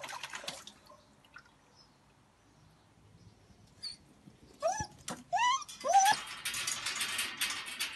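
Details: Female Heideterrier x Patterdale Terrier cross, a friend's dog, playing with water; after quiet rustling, three short rising yelping whines come close together, followed by splashing and hissing water noise.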